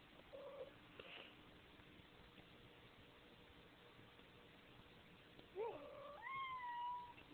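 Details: A male Siamese cat gives a drawn-out, wailing meow after a quiet start.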